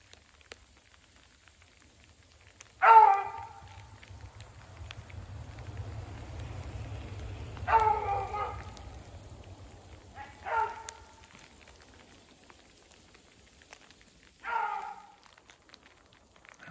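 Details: Beagles running a snowshoe hare through woods in fresh snow mixing with sleet and rain: four separate drawn-out harmonic bays, spaced several seconds apart, over steady rain patter and a low rumble.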